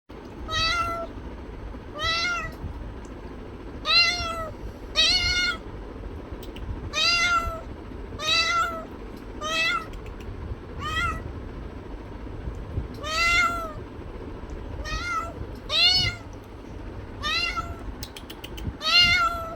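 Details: Domestic cat meowing repeatedly, about fourteen short harmonic meows over twenty seconds, each a brief arched tone, spaced roughly one to two seconds apart, over a steady low rumbling background noise.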